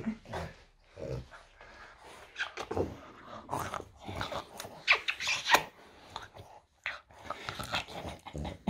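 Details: French Bulldog named Loki on a typical morning indoors in a small room, giving irregular grumbling growls and snorty vocal bursts, roughly one or two a second, with short gaps of quiet between outbursts.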